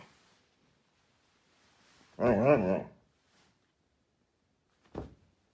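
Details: Siberian Husky puppy talking to its owners indoors: a single wavering, whining, harmonic vocal of under a second rising and falling in pitch, then quiet, with a short sharp knock near the end in a small quiet room.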